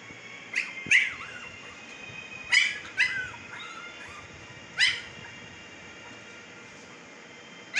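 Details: Siberian Husky puppies, fifteen days old, in Pakistan: a run of high, sharp squeals, each bending down into a short wobbly whine, coming in uneven bursts of one or two with pauses between.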